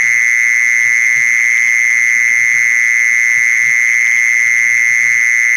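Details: A mole cricket's steady, unbroken high trill, holding one shrill pitch throughout, used as a sound to lure mole crickets.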